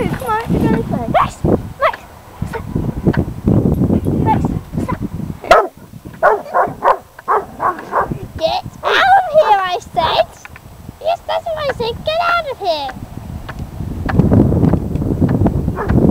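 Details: Weimaraner dog at a local park, unsure of a stunt kite and barking a lot, which it rarely does: bursts of short harmonic barks, then drawn-out arching yelping barks midway, over wind rumble with human voices throughout.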